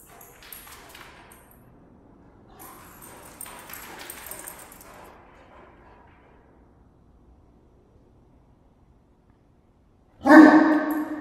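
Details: Dogs at play in a Vancouver dog daycare, where Finn the golden retriever runs laps with Diesel the great dane; after quiet rustling and faint knocks, one loud, harmonic bark bursts out near the end.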